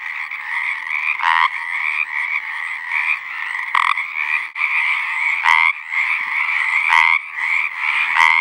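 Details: A dense spring chorus of Pacific tree frogs giving mating calls from a pond on a ranch in southwestern Oregon, raspy two-part croaks overlapping into a steady trill.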